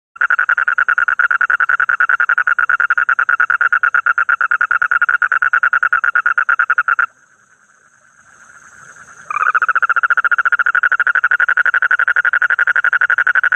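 An Amazon green frog gives a fast, steady run of rattling clicks.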